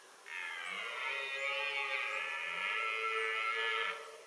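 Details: A red deer stag, filmed with hinds at nightfall during the 2022 rut, gives one long, drawn-out bellowing roar.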